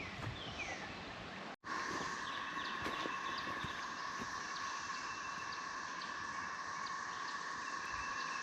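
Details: Cicadas drone at one steady pitch along the River to River Trail near Lee Mine in Shawnee National Forest, southern Illinois, with scattered rustles and footsteps of hikers.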